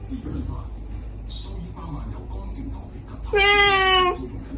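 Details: Ginger cat named Captain, indoors while being given medicine with food, lets out one clear, slightly falling meow of under a second near the end, after soft background murmuring and faint human voices.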